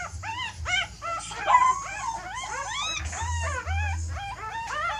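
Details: Puppies whining and squealing while their mother dog moves them to a new nest: many overlapping high arched cries, rising then falling, in quick irregular bursts, with a steady low hum beneath.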